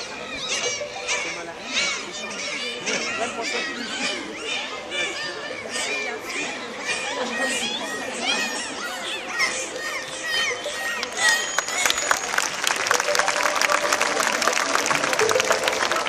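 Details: Bottlenose dolphins (Tursiops truncatus) give dense, overlapping whistles that sweep rapidly up and down. Each dolphin's signature whistle identifies it individually and is made through the blowhole, since dolphins have no vocal cords.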